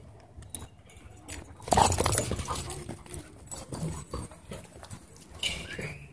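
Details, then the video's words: A loud bark bursts out among dogs at play in a dog park, followed by softer scuffling, panting-like noise and light movement sounds. "Dog Park Battle Zone"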